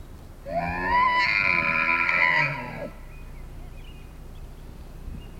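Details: A large bull elk bugles in the morning at a lodge during the rut in Canada's Rockies, just after a fight, a high whistled scream rising and holding for about two seconds.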